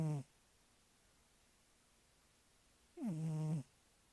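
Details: Sleeping domestic cat snoring indoors: two separate low rasping breaths, one short at the start and a longer one about three seconds later, each with a falling buzzy tone, quiet pause between them.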